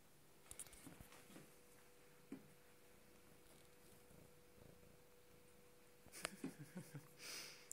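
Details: A sweet free-roaming cat named GS, who visits houses along the street, licks and snuggles indoors, giving a soft, steady low purr beneath rustling and brief sniffs, with louder handling noises near the end.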